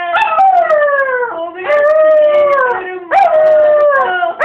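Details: Bruno, a pampered and whiny pet dog, cries in long harmonic whines that slide downward, three drawn-out howling wails about a second and a half each, loud and clear indoors.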